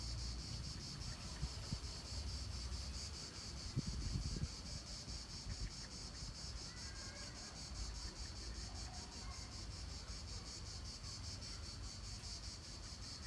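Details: Cicadas keep up a continuous, high, finely pulsing buzz over rumbling wind, in the park of the Palais du Gouverneur, Nancy, France, late July 2017.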